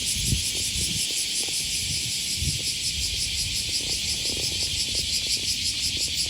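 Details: Summer morning cicadas along Osaka's Okawa River, Japan, August 2020: a bright, insistent drone with faint rhythmic pulsing up high, accompanied by thudding footsteps and low traffic noise.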